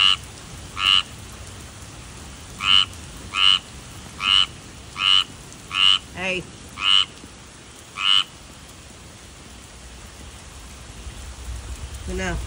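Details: Tree frog uttering a run of short buzzy croaks, several in quick succession, falling silent after about eight seconds while a low rumble and a falling whine-like sound continue in the background.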